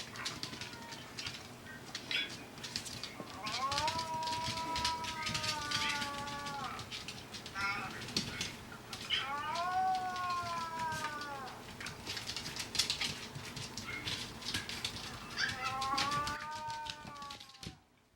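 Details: An older sister dog answers the younger dog's crying with howls: three long, gently falling tones, each lasting two to three seconds, over constant crackling, scratchy background noise.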